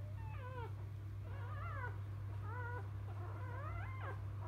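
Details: Newborn field-line Labrador Retriever puppies just after birth, mother biscuit a 2017 JFA Grand Champion; four high harmonic whines rising and falling in wavering arcs, over a steady low electrical hum.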